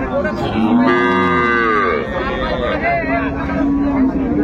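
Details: Improved-breed dairy cows with calves at Ambari haat cattle market, Dinajpur, on 10/2/25; a low sustained moo rises and holds, then a second long level moo follows, under background music and market chatter.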